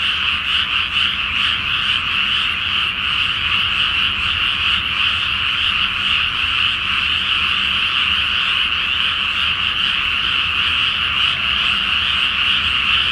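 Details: A great chorus of frogs fills a flooded Japanese rice paddy at night before planting, beneath a full moon; dense rapid croaking repeats over and over with a slight low hum in the background.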